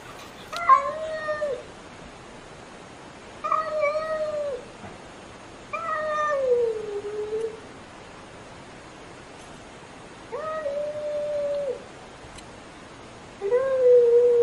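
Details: Cats and kittens meowing loudly: five drawn-out, tonal meows spaced two to three seconds apart, several sliding downward in pitch at the end, the last one steady and level, over a quiet indoor background.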